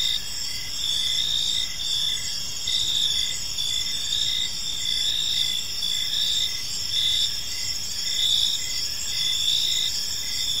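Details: Several crickets calling in a park as evening falls, a high ringing trill underneath short pulsed chirps repeated about once a second, the chorus steady throughout with no birds or people noticeable.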